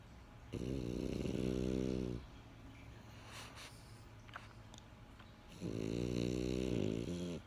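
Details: French Bulldog named Benjamin asleep indoors, giving two long, rasping harmonic snores about five seconds apart, with quieter breathing between them in a small room.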